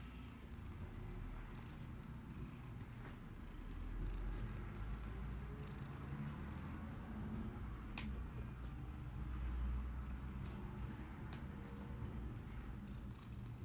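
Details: Pet cat purring for nearly fourteen seconds, a low vibrating hum that grows a little louder midway, with occasional small clicks and taps.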